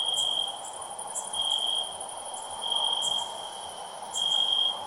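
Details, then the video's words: Cricket song heard as a thin, sustained high note rising into louder trilled bursts at uneven intervals, set against steady background hiss. "Cricket Chirping Sounds"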